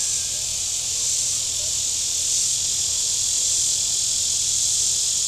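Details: Cicadas on the shore of Table Rock Lake in southern Missouri on a very warm Saturday: a steady, unbroken high-pitched buzzing chorus that holds level throughout, with a faint low rumble beneath.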